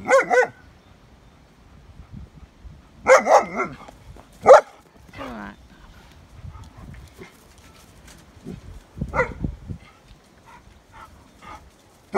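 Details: Pack of German Shepherds in sunshine: an irregular run of loud, abrupt barks, several doubled in quick succession, scattered over twelve seconds, with quieter vocal sounds and rustling between them.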